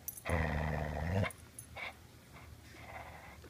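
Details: A Border Collie being dog-sat holds onto its ball and growls: a sustained, deep, rumbling vocal growl about a second long with a rich harmonic stack, followed by quieter short sounds in an indoor room.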